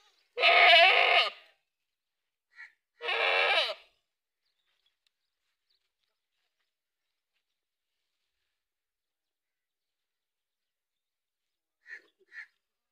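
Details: Farm goats giving two loud, harsh, wavering bleats close together, followed by a long quiet stretch and faint short sounds near the end.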